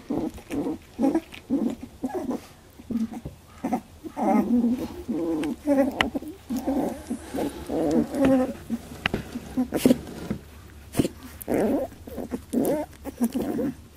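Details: Labradoodle puppies, 18 days old, in their first milk fight: a busy stream of short squeaks, grunts and snuffling bursts, one after another, with scattered sharp clicks and knocks in between.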